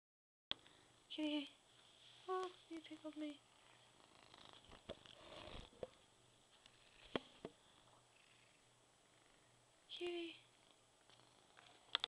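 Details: Black pet cat Sassy, a male who reached 17 years, utters several brief, clear meows early on and one more near the end, with a person talking softly and scattered small clicks between them.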